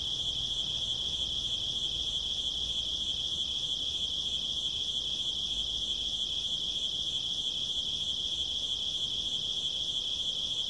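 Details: Night-time cricket sound, a constant shrill high trill pulsing rapidly and evenly from start to finish, with only a faint low rumble underneath.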